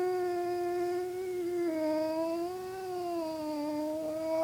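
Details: Pet dog howling indoors in response to its owner's weird sounds; one long, sustained tonal howl that dips and wavers gently in pitch without a break.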